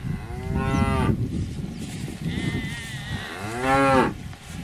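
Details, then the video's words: Cow mooing: two drawn-out, harmonic moos about three seconds apart, the second rising then falling in pitch, over a steady low rumbling background. "Âm thanh con bò || Sound and picture of the Cows"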